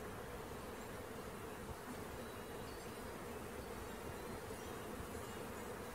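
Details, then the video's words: Caught bee swarm producing a constant, level drone, the hum partly masked by strong broadband hiss for the full six seconds. "Catching Bees start to finish bee swarm"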